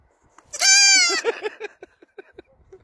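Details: Baby goat held in a person's arms, bleating while being hugged and kissed: one loud, quavering, nasal bleat under a second long, followed by soft kissing smacks and a person talking in Polish.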